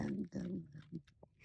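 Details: A bobcat (Lynx rufus) gives low, rumbling, growl-like sounds while eating, with a few short clicks and smacks.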